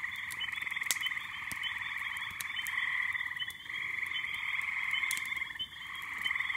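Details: Spring peepers and frogs massed at an illuminated backyard pond in May: relentless shrill peeping merging into one steady trilling drone, with brief dips and scattered clicking sounds.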